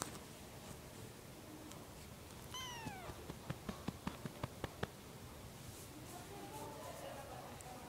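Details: Young domestic cat uttering a single descending meow, then a run of about eight quick tapping clicks and soft background hiss.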